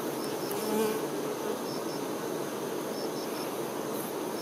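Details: Western honey bee workers tending their queen fill the air with a steady, dense hum of many wings.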